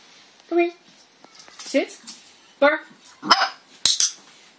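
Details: An 8-week-old red merle Cardigan Welsh Corgi puppy, home for one day, gives thin, high single yips a second or so apart while a person repeats a "bark" command between them.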